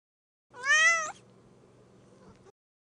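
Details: Kitten described as sad because it cannot find a playmate; a single clear meow lasting about half a second, slightly rising then falling, followed by quiet low hum.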